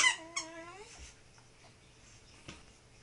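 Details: Tibetan Terrier Lamleh speaking to his toy in a room: two short high yips open into a brief rising whine, then quiet apart from a soft knock.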